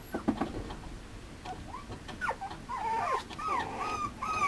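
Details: Mame Shiba Inu puppy, male, giving thin, rising and falling whines, scattered at first, then a denser run of wavering whimpers in the last two seconds, with some clicks and shuffling.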